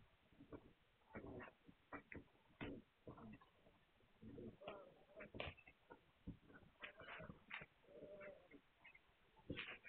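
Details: Litter of Hungarian Vizsla puppies, recorded 9 March 2021. Dense overlapping high squeaks, short yelps and whines follow one another with barely a pause, some rising sharply, others drawn into brief nasal whimpers.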